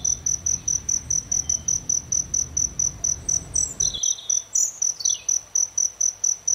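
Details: A cricket by an aloe vera flower keeps up rapid, ringing high pulses, around three a second, as a bird gives a couple of quick, sliding calls partway through.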